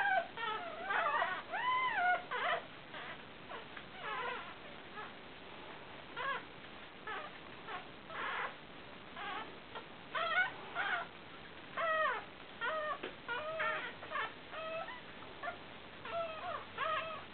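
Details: Five newborn Fell terrier puppies, a broken-coated Patterdale terrier, four males and one female, born 29 July 2012: overlapping thin, high squeaky whimpers and wavering cries in irregular bursts, some rising and falling, with short quiet gaps.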